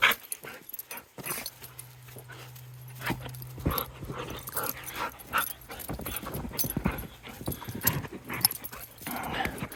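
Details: Pet dog Luna barks, yips and growls excitedly in rapid, uneven bursts over about ten seconds, with scuffling and a steady low hum underneath.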